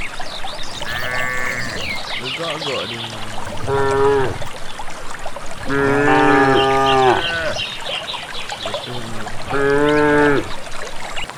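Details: Cattle from a rural village walking to grassland without a herder: a series of overlapping moos from several animals, short grunting lows and longer harmonic bellows, with bird chirps in the background.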